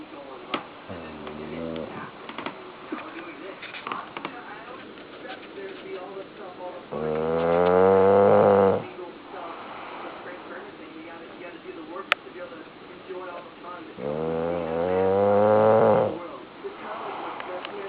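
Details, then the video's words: Big Mazon, a bulldog, snoring while asleep indoors: two long, rumbling, rasping snores about seven seconds apart, each swelling loudly then cutting off, with quiet talk murmuring in the background between them. "Big Mazon Snoring"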